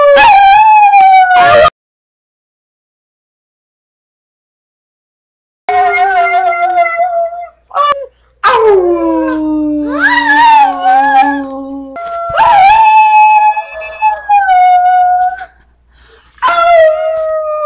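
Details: A male brindle Chihuahua, kept as a pet indoors, tries to repeat his owner's "I love you". He gives long, wavering, high howls that slide downward, broken by a few seconds of silence and short yips.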